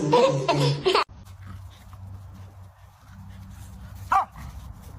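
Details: A domestic dog lets out a loud, rough bark lasting about a second, followed by quiet low hum and then one short yelp-like bark near the end.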